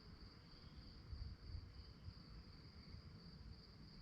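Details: Night crickets give an unbroken high rapid trill, the pulses evenly spaced, set against a quiet but dense low rumble of wind or distant traffic.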